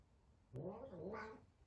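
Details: Big F2 Savannah cat, frightened of a little kitten on their first time together indoors, gives a single drawn-out harmonic wail lasting about a second, wavering in pitch and rising toward its end, after a short click.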